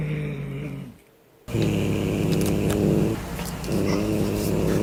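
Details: Domestic cat growling, a defensive, aggressive warning given before a fight and sometimes on spotting prey, meaning 'don't touch me'. A low, slow, continuous rumbling growl with a brief pause near the first second, then sustained steadily to the end.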